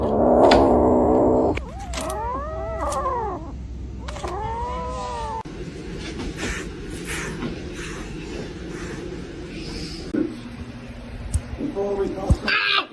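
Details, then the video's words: Domestic cat 'talking': two drawn-out, arching meows, each rising and then falling in pitch, about two seconds apart. A quieter stretch of low room noise and faint rustling follows. "funny cats talking"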